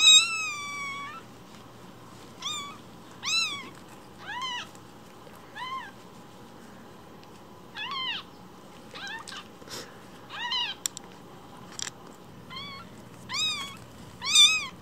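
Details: One-week-old rescue kittens, Cookie and Nan, fostered indoors with umbilical cords still attached, give about a dozen thin, high meows at irregular gaps, some rising and falling, a few short and clipped, over a quiet room background.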